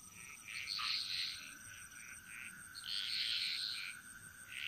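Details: Frogs singing a chorus in the Bali jungle, Indonesia: bursts of bright, rattling croaks repeated in uneven groups, with a steady insect whine and a continuous high tone running beneath.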